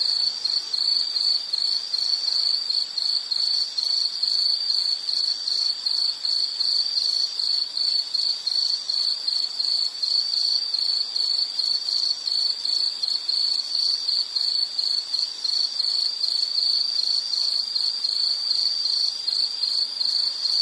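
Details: High-pitched insect trill, continuous and fast-pulsed, sustained for twenty seconds with small regular flickers in loudness and no other clear sounds around it.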